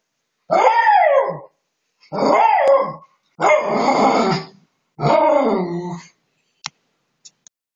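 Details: A Miniature Schnauzer, very excited, gives four long, drawn-out, howling barks that waver and fall in pitch.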